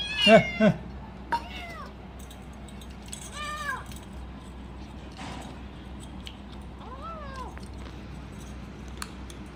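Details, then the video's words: Kitten eating cat food and making noises as it protects its meal; a loud clipped cry at the start, then a few short arched meow-like calls spaced a couple of seconds apart, with faint human voices in the background. "little kitten eating food making noise||protect food"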